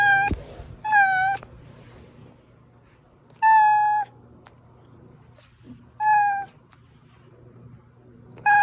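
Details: Pet cat Oz meowing, a recording meant to draw hiding cats Meonji and Dubu out. Four steady, slightly falling harmonic meows arrive roughly every two and a half seconds, with a soft click near the start and low room hum throughout.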